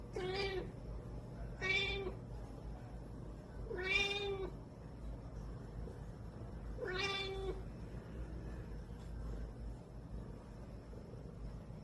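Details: Cat fussing sleepily before going to sleep, giving four drawn-out, whiny meows spaced roughly two to three seconds apart, each with a rising then falling tone, over a faint steady indoor hum.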